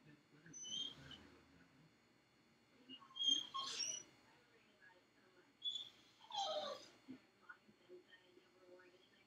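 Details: Felix, a dog left alone in his dog crate, whimpers and cries in high-pitched bursts, three or four separate whines a few seconds apart, with quiet room noise between them.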